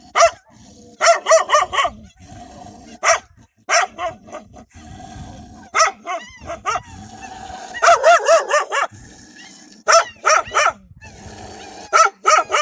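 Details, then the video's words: Wild dogs barking loudly and fiercely while defending their pups: sharp barks in short clusters of two to four throughout, with a brief thin tonal whine between bursts and low rumbling noise beneath. "كلاب برّية تدافع عن صغارها بصوت نباح قوي ومرعب!"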